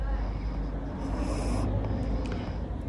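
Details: Pangpang the pug snoring while asleep standing up in a swimming pool: a steady, deep, rumbling low drone with a rough, snuffling texture that carries through the whole stretch without pause.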